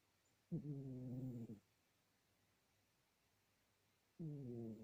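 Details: Sleeping domestic cat snores steadily: a drawn-out, throaty, harmonic breath of about one second, then silence, then another snore starting roughly three and a half seconds later, in a quiet room.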